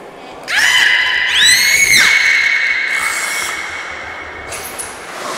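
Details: Captive belugas Nana and Mirai during a training session at Port of Nagoya Public Aquarium, Japan, 6 May 2017: a sustained, steady-pitched harmonic squeal with sweeping rising-and-falling overtones midway, fading gradually, echoing in a large indoor hall.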